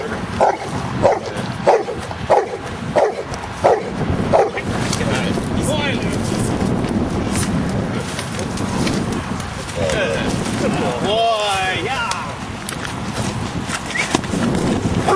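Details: Luther the giant schnauzer, playing in rain and mud on 01-12-10, barks in a regular series of six or seven short yaps over four seconds, then falls quiet while human speech and rain noise continue.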